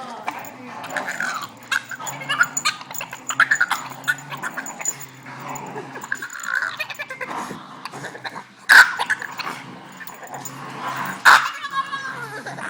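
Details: Agitated male Boston Terrier, kept from playing with other dogs, makes repeated yelping whines and throaty grumbles, with two loud bangs and background chatter.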